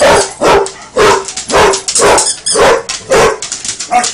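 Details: A Basset Hound playing with a toy alligator barks in a steady run of deep, resonant woofs, about two each second.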